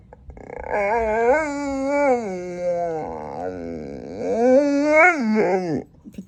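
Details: Female pet dog indoors fighting the urge to bark after barking at nothing, with snoring in the background; long wavering, whine-like moaning tones rise and fall for about five seconds, briefly breaking near the middle, with no full barks.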